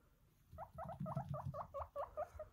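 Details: Pet guinea pig in a dim bedroom in the morning, waking its owner before the alarm to demand a breakfast of green pepper; a quick series of about eight short squeaky chirps, evenly spaced, over soft rustling.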